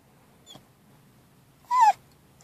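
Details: A one-year-seven-month-old pit bull, indoors, answering when asked who's that: one loud, clear whine that rises slightly then slides down, lasting about a quarter second, after a faint short squeak.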